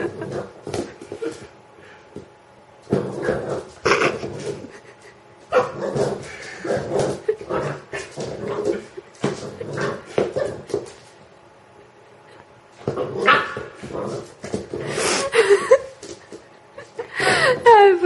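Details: Pet dog playing with a rubber chicken toy: a busy run of short barks and yips in uneven bursts. People talk in Slovak nearby, and high squeaky toy-like tones sound near the end.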